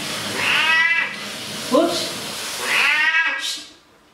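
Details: Pet cat, likely named Simba, meowing while being bathed and washed in a bathroom: two drawn-out, harmonic meows about two seconds apart, the second rising then falling. A short squeak between them, with water and room noise underneath.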